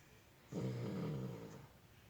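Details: Sleeping puppy giving one low, buzzing snore lasting about a second, humming and slightly nasal, fading into soft breathing.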